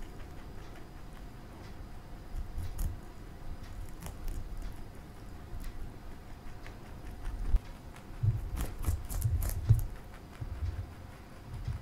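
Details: Domestic bunny Marshmallow, a male, chewing broccoli indoors: faint scattered nibbles, then a burst of loud crunchy bites near the end before quieter munching resumes, low steady hum underneath.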